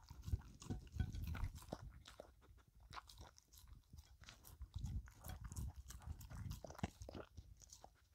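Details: Filou, a pet dog, licking and eating a cucumber snack and making a mess: wet, crunchy bites and smacking chews in irregular bursts, with low thumps throughout and no voices.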